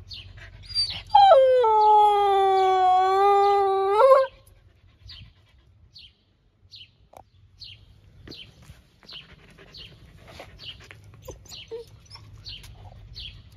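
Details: Happy at a lunchtime visit, Nova the blue-eyed Siberian Husky lets out a long, steady, clear howl of about three seconds that starts high, settles lower and flicks up at the end, then quiet rustling follows.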